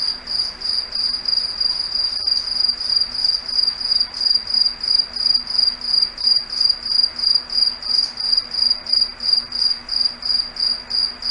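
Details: A single cricket dominates this night scene in a foggy forest, repeating a sharp, high, even chirp about three times per second, with a faint low hum behind it.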